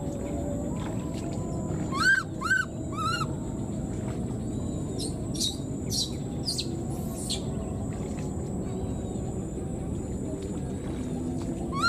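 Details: A wild newborn baby monkey, left behind, calls for its mother: three short, arched, squealing cries in quick succession, then a lone cry at the end, over steady low background hiss and faint clicks.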